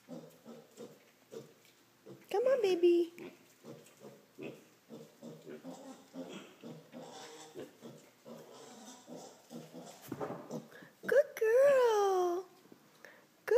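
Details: A 5-week-old female piglet that has just jumped up onto a chair by herself: soft repeated grunts, then two loud rising-and-falling squeals around three seconds and twelve seconds, with a woman's voice praising her throughout.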